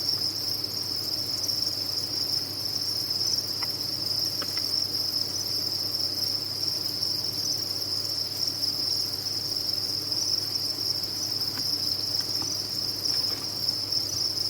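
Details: Captive crickets at a cricket farm form a dense, unbroken high-pitched chirping chorus, a steady shimmering trill that never pauses, with a few faint clicks near the middle.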